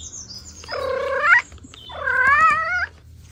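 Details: Domestic cat family, a mother with kittens and two siblings at play: two loud, rather flat, drawn-out meows of under a second each, the second slightly wavering, with a faint high squeak before them.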